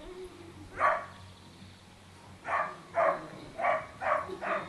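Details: Young Dogo Canario pups, a litter dated 9 June 2009 out of Nastya de Cielo de Canarias by Mirko de Atlantida, yipping in short, sharp bursts: one, a pause, then five quick yaps in close succession.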